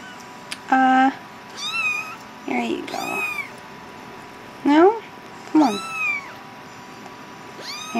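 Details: Hungry house cat meowing while being fed indoors: a run of loud, clear meows, each rising then falling with a bright harmonic stack, arriving in uneven bursts about a second apart, mixed with a person's coaxing voice.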